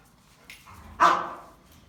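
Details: German Rottweilers fighting and playing together; after a soft yip, one sharp, loud, harsh bark bursts out and fades over about half a second, with faint background rustling.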